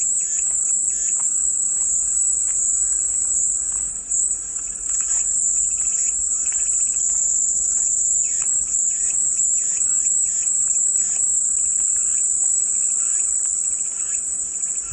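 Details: Soothing cicada drone: a sustained, intense high buzz filling the whole clip, with light chirping of other birds faintly heard beneath it.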